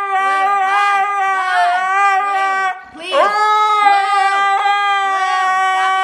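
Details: Blu, a Siberian Husky, protests a scolding after raiding the trash with a long, steady, nasal drawn-out wail, briefly breaking near the middle and then resuming, while a person's voice keeps talking over it.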